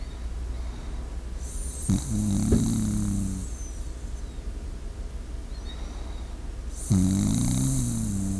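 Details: Shiba Inu dozing beside a close microphone: two breaths about five seconds apart, each a breathy rush with a buzzing, snore-like low tone, against a steady low background hum.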